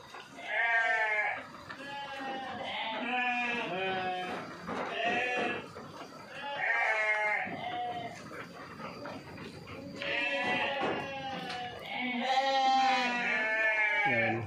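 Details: Several sheep on a modern farm in Boyolali, Central Java, fitted with nipple drinkers, bleating in repeated wavering nasal calls, often overlapping, in bursts about every two to three seconds across the stretch, with a faint steady whine behind.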